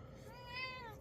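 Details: Domestic cat indoors, irritated after being startled and brushed backwards, lets out a short, whiny meow that swells in the middle and tapers off within a second, over a low room hum.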